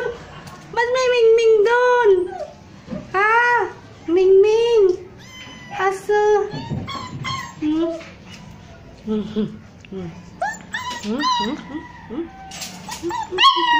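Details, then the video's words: Hungry street puppies Crazy, Browny and Kabang whimper while searching for their mother, giving bursts of wavering, rising-and-falling whines separated by short pauses, with faint background murmuring in a small room. "CRYING DOG"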